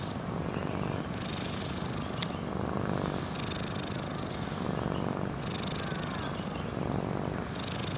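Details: Huangjin, a cat living at a botanical garden, sleeps and snores fairly loudly, recorded up close: a deep rasping rumble swelling with each breath roughly every one to two seconds, with one sharp click partway through.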